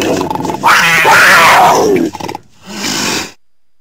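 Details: Cougar snarling with a harsh, raspy, growling roar that lasts nearly two seconds, then a brief pause and a second, shorter breathy snarl.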